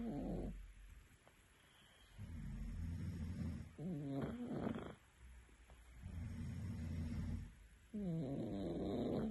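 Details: Sleeping cat snoring: low, rumbling snores lasting about one and a half seconds each alternate with higher, whistly nasal breaths that carry faint harmonics. The room is otherwise quiet.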